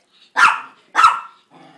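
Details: Two pet Chihuahuas singing to beg for a treat; two short, sharp, yelping barks about half a second apart, then a faint low whine trailing off.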